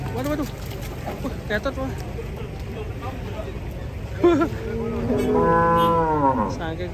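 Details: Cattle unloaded from a truck in Indonesia; after short grunts and background noise, a long steady harmonic moo swells and slowly falls near the end, over a constant low engine hum.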